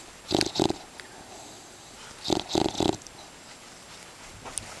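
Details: Sleeping English bulldog Buddy giving quick clusters of snuffling snores, two short snorts followed by a triple burst a couple of seconds later, over a quiet room.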